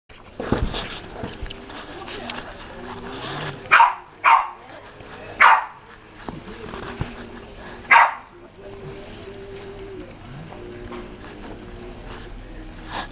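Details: Welsh Corgis Alexandra and May being petted: four short, sharp, bright yelps spaced a second or two apart, mixed with human speech indoors.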